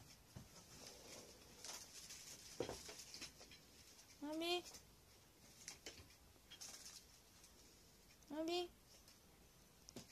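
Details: Abyssinian cat named Abi, indoors on the morning of 22 December 2018, seeking affection from its dad: two short harmonic meows, each rising then falling, about four seconds apart, with light tapping and room noise between.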